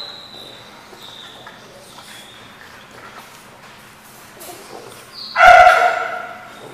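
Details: Dog barking at a place called The Barking Lot, dated 1/2/15: a quiet stretch with faint high thin whistles, then one sudden loud, harsh, rich bark near the end.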